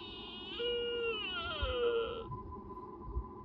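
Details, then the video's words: Nara Park, Japan: a sika deer in the mating season gives a brief, clear whistled moan. It holds steady, then glides downward for under two seconds before falling silent against low ambient noise. "The cry of deer during mating season is amazing（発情期の鹿の鳴き声が凄い！）"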